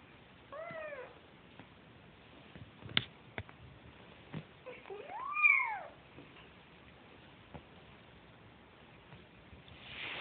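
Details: Kitten siblings hunting for their mother's milk give two high mews: a short falling one early, then a longer cry that climbs and drops, with a few sharp taps and light rustling between.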